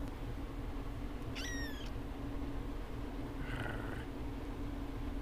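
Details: A kitten gives two short meows, the first a thin, wavering cry and the second a fainter, lower one about two seconds later, over a steady low hum and hiss.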